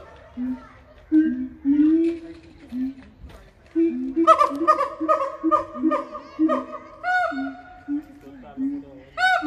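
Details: Gibbons climbing and singing give loud, clear hooting notes that swoop upward, after people talking and laughing.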